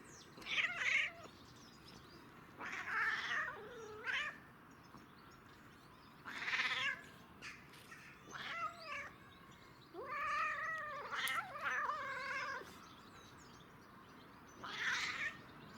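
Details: Domestic cat reacting to catnip with a run of funny, wavering, yowling meows, some rising and falling, repeated in bursts every two to three seconds over a quiet background.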